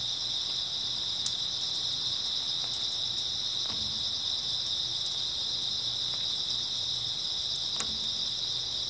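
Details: Grass insects chirping through an early autumn night toward dawn: a dense, unbroken high shrill band of many callers, steady throughout, with a few sharp faint ticks and a low intermittent hum underneath.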